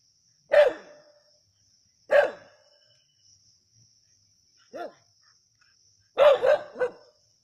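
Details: During a snake hunt at Keezhadi, native dogs give six sharp, clipped barks at uneven intervals, the last three coming in a quick burst; quiet between barks apart from a faint constant high hiss.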